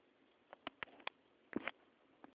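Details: Pet guinea pig named Piglet making cute noises indoors: a sparse run of about seven short, sharp clicks and chirps over two seconds, the loudest a brief squeaky burst past the midpoint, against a quiet room hiss.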